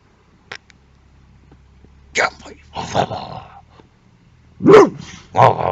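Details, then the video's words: Boxer dog guarding a car like a car alarm, giving a few harsh broadband barks and gruff growling bursts, spaced unevenly over about six seconds, with quiet gaps between. "Boxer Dog Use as Car Alarm"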